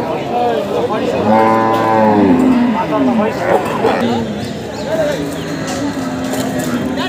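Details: Water buffalo giving birth under hard conditions at a cattle market. A deep, low moo lasts about a second, with bleating, wavering calls and a dense din of human voices around it.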